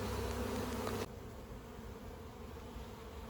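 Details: A rescued colony of honey bees, taken from a house siding where their hive stood for 15 years, hums loudly for about a second before the sound drops to a softer, steady background drone.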